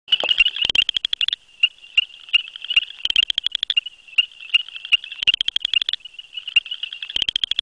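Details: A male southern chorus frog (Pseudacris nigrita), hidden in grasses, gives short, high, rasping trills about every two seconds; a nearby silent frog may be a female or satellite male.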